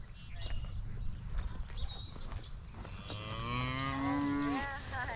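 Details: Highland cattle herd excited at being fed fresh grass after a spell on hay, with a new calf running about; a long, steady, harmonic moo swells near the end, preceded by wind and faint farm noise.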